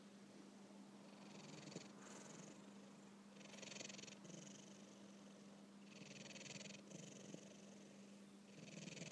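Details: Domestic cat snoring while napping indoors: soft, breathy hiss-like bursts rise and fall with each breath, roughly every two seconds, over a steady low hum.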